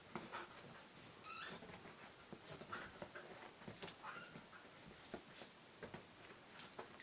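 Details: Whippet Willow and border collie puppy Fae playing together indoors, with short high rising whines and yips among scuffling, pattering and soft thumps of rough play.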